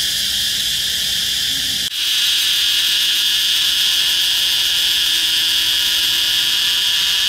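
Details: Cicada calling close-up from the trunk of a red flame tree (Phượng vĩ): a loud, continuous high-pitched buzzing drone that holds steady throughout, with a brief dip just before two seconds.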